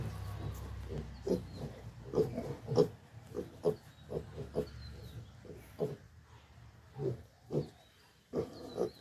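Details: Pigs on a farm making a long run of short, low grunts, some clustered and some spaced a second or so apart, over faint background noise.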